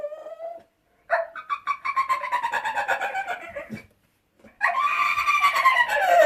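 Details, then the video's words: Indoor dog making dolphin-like noises to get his owner's attention: a brief high whine, a pause, then a long run of rapid, pulsing squeaky squeals and chirps, another pause, and a louder, strained burst of squeals. "Dog Makes Noises Like a Dolphin"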